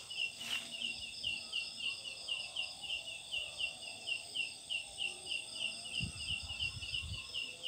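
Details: A large leaf-like katydid calls at night from a jackfruit tree with a steady, high, rapidly pulsing buzz, likened to a chick's or bird's "ciakk ciangg".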